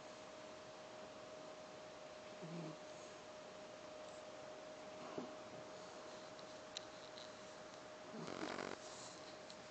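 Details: Sleeping Silky Terrier, a small dog, giving one long rasping snore near the end after a softer snuffle earlier. A low constant hum fills the quiet room between breaths.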